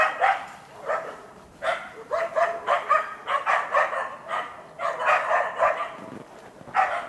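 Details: Karelo-Finnish Laikas Rus-Fin, aged two, and Kaya, eight months, work a penned wild boar while training for trials. Rapid bursts of sharp, ringing barks come in clusters with short pauses between them.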